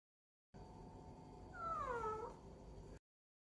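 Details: A cat's single vocal yawn: a thin, squealing tone that glides downward over half a second, surrounded by quiet room hush.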